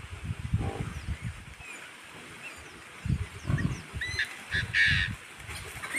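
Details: Low, rough grunts come in short bursts from a wild boar with her baby on a mountain, with bird chirps above them.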